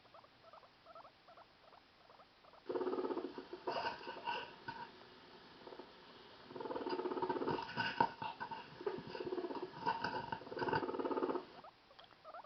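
A guinea pig purrs in low, buzzy, rapidly pulsing bursts, a sound of curiosity.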